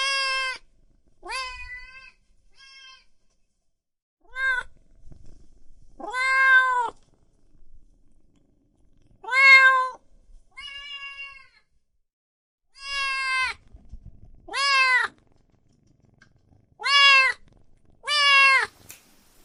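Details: Meowing cats and kittens, a sparse series of short, clear meows of varying loudness, some faint and clipped, others full and arched, spread irregularly across the recording with quiet pauses between.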